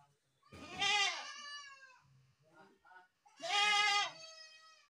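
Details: Two long, harsh, wavering goat bleats about three seconds apart, loud and rich in overtones, with softer low murmurs and small rustling noises in the pause between them.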